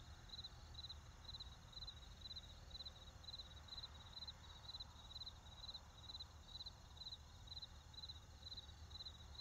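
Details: Crickets in a field chirp in short high pulsed bursts repeated about once a second, steady and even throughout, over a low background rumble.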